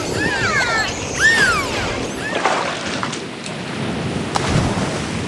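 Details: Dolphin underwater gives several rising and falling whistles in quick succession, some arching and some descending, with scattered sharp clicks. Constant rushing water noise lies underneath.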